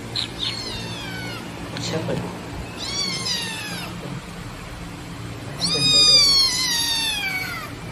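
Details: Baby black kitten abandoned in a roadside trash box, calling loudly with a run of long, falling meows, some short and clipped, others stretched and bright, with faint human voices in the background.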